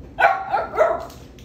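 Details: A Miniature Schnauzer, refusing to eat his food after seeing a pack of cookies, gives a few short, high, whiny barks in quick succession while being told there are no cookies.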